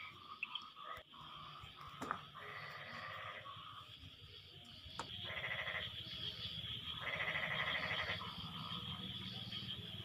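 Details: Frogs answering one another after rain; rattling pulsed croak bursts of about a second come in clusters, separated by quieter stretches with a few sharp clicks and a steady high hum.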